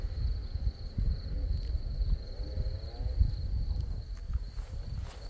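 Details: A steady, shrill cricket trill rises from scarlet poppies in Crimea, continuous and even in pitch, partly masked by loud low wind noise and brief rustles.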